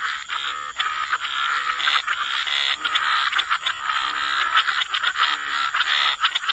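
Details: A chorus of croaking frogs at the water's edge forms a loud, unbroken grating wall of sound with quick stuttering pulses, and a steady high whine runs underneath.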